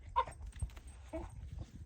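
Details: Bulldog puppy crying during a tantrum: a short high whine near the start, then a lower whimpering note about a second later, with a woman's voice talking over it.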